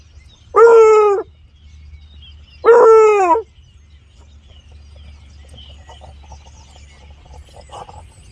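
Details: Wooster, a beagle-basset mix on a rabbit's scent trail in the yard, gives two drawn-out, rich trumpet-like howls, each sliding down at the end, telling others he found something exciting.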